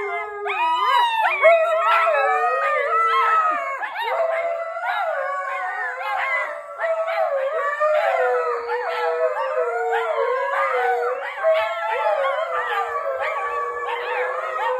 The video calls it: It’s a howling husky family affair!